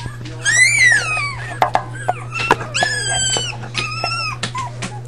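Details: Litter of five puppies, including Patches, Chunk, Pipa Squeak and Blaze: shrill, drawn-out squealing whines with rich overtones, the first sliding down in pitch, followed by shorter, steadier whines, over a constant low hum and scattered clicks.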